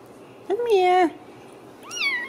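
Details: Ragdoll kittens, home-raised in central Kansas without cages, give a drawn-out, wavering meow with rich overtones, then after a brief quiet gap a higher, thinner rising-and-falling mew, while a woman talks to them.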